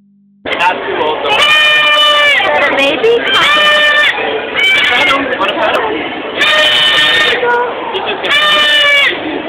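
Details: Baby goat screaming: five loud, harsh, strongly harmonic cries, each lasting around a second, coming in close succession with brief gaps, with faint human voices underneath.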